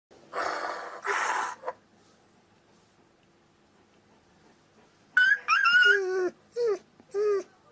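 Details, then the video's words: German Shepherd giving two long breathy rasping sounds, then after a pause a run of high, sliding whines and yelps falling in pitch, in a small quiet room. "German Shepherd Ringtones"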